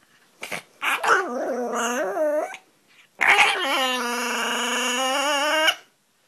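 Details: A Pomeranian puppy at play gives two long, wavering, high-pitched whining yowls.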